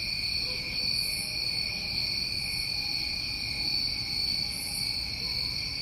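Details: New England crickets in summertime: an unbroken, even high trilling chorus with occasional brief higher bursts about every one and a half seconds, and soft low ambient rumble beneath.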